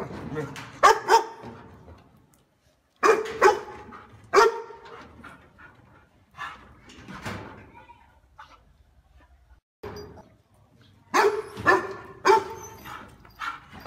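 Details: A dog guarding the house barks loudly and warmly in bursts of two or three, with long quiet gaps and fainter barks and low background sounds between the louder groups.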